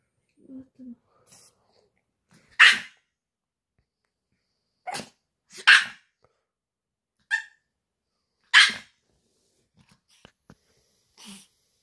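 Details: Pomeranian dog with an 'alarm function', barking to announce that it is time: five short, high, snappy yaps spaced two to three seconds apart, with soft breathing and faint rustles between them indoors.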